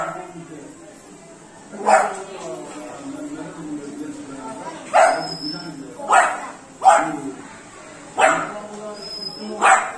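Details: Beagle puppy, three months old, barking while playing with water: six abrupt, loud barks in irregular bursts after a quiet start, with people talking continuously underneath.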